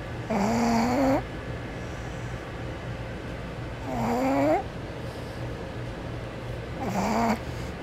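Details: A pug asleep, snoring in a slow rhythm: three buzzy, slightly rising snores about three seconds apart, each near a second long, with a faint steady hum underneath.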